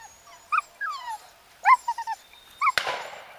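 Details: Pheasant hunt on 29 November 2011 with two English Cocker Spaniels, the mature Yatagan z Blatova and young Easy vom Krebsbachtal, working together for the first time. Excited whines in short bursts, some falling in pitch, ending in a sharp crack.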